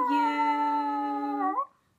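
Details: Chihuahua dressed in a costume, indoors, giving one long steady tonal howl for about 1.5 seconds, rich in harmonics, with a slight upward lift at the very end before stopping abruptly.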